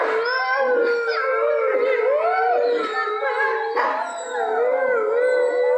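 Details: Several Eurasian wolves, a large gray wolf subspecies found across Europe and Asia, howl together in long wavering tones that rise, fall and overlap in a chorus; gray wolf (Canis lupus) howl.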